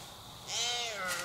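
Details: Wild doe in heat bleating as she walks beneath a hunter's tree stand on public land: one nasal, drawn-out bleat that rises then falls over about a second, above a steady hiss of background insects.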